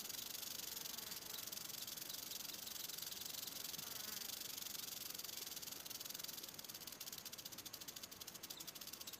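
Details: Western diamondback rattlesnake at close range: a steady, dry, hissing buzz fills the high range throughout, turning into rapid, distinctly pulsed clicking over the last few seconds.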